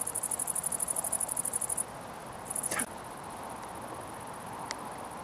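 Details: Great Green Bush-Cricket at Itchen Valley Country Park, Southampton, one of several present: a loud, very high pulsed buzzing burst stops after about two seconds, then a short second burst follows with a dull knock; a faint click comes later.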